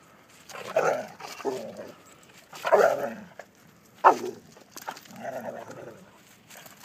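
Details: Two pit bulls, American Pit Bull Terriers, trying to mate while the female grows angry; short harsh snarling growls and barks in bursts roughly every second or two, with quieter gaps between.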